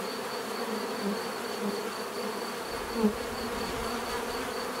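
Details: Bees buzzing in a thick continuous drone, with a single insect passing close and louder around the three-second mark, a high faint whine persisting behind.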